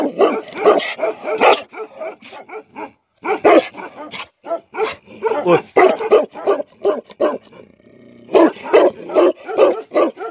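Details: A rapid, irregular volley of harsh barks from angry Tibetan Mastiff dogs (Bhote Kukur), about three per second, with a brief pause before a final burst of barking.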